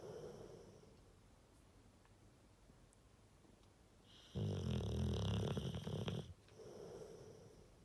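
A sleeping Rottweiler gives a low, throaty snore, a rough vibrating rumble that builds into one loud drawn-out breath. Softer, quieter breathing comes before and after it in a small indoor room.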